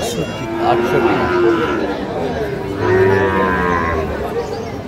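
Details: Sahiwal breed bulls being bought by a farmer in Tangail, Bangladesh, on 9 May 2025; two drawn-out, harmonic moos, the second louder and steadier, over a background of faint voices.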